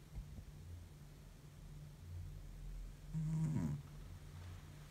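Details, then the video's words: Exhausted domestic cat in deep sleep gives a single rough, low snore lasting about half a second near the end, against a faint steady indoor hum. "deep sleep cat snores like an old man"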